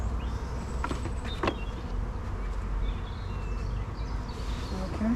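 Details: Busy honey bees droning around an open beehive in an apiary during an early inspection, just as a super is being set on top: a continuous low hum with a few faint higher whines and brief clicks.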